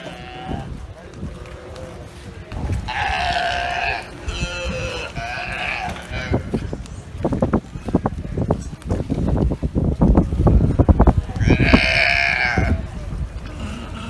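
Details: Galapagos sea lions, huge males, smaller females and playful young, that have taken over a barge at the dock on Santa Cruz Island call constantly with deep, burping croaks and drawn-out, bleating moans, one after another.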